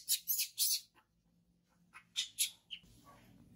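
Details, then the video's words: Baby monkey Chimol, a hungry newborn crying for milk: a burst of three shrill, high squeals, a pause, then three more sharp cries and a brief chirp, followed by a low background rumble. "Baby Monkey Chimol crying for milk"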